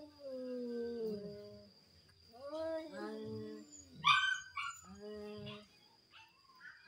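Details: Dueling cats trading low, bending yowls that swoop up and down, then a sudden higher, harsher outburst about two thirds through, followed by shorter wails.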